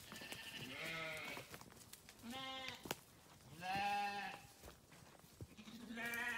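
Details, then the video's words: Several grazing farm sheep give four wavering bleats spaced over a few seconds, voices differing in pitch, with sharp clicks and rustling between calls. "Sheep Grazing | Sheep Farming | Sheep Sound"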